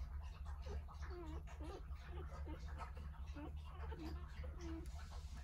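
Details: Three-day-old Jindo puppies, nine in the litter, tucked under their mother Sarang at home as she nurses them; short high squeaks and curved whines come in quick uneven bursts over a steady low indoor hum.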